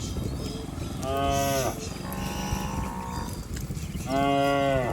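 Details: Cattle herd bounding down a green rural hillside; two clear drawn-out moos, one near the start and one at the end, separated by a softer lowing call amid outdoor noise.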